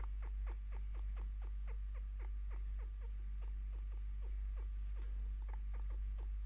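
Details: A contented 5-year-old female chinchilla, happy as her owner sits down to give her scratches and attention, gives rapid, thin chirps, each a brief downward-sliding squeak, several a second, over a steady low hum.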